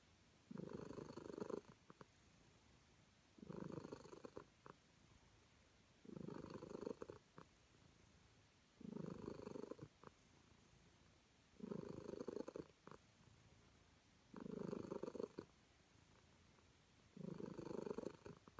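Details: Purring of a calico cat enjoying being petted, a regular cycle of seven low rumbling bursts, one roughly every two and a half seconds, with quiet breaths in between.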